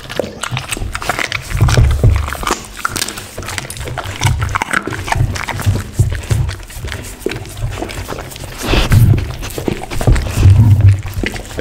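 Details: Pit bull dog eating a lunch of raw chicken, duck and cauliflower, with close, dense wet crunching and tearing bites repeated several times a second, heavy low thuds under sharp clicks, and a brief murmured word at the start.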